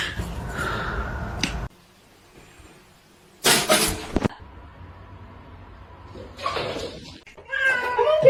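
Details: Domestic cat in a funny-cats compilation giving loud, rough yowls in short bursts separated by quiet gaps, ending in a wavering higher cry; faint indoor room sound between calls.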